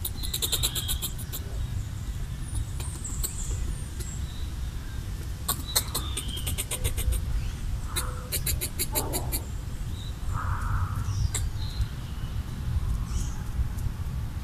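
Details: Red squirrel eating coconut bits, chattering territorially to drive off what it deems a threat: several fast trains of hard, ticking clicks in separate bursts, with brief thin whistles between them and a constant low background rumble.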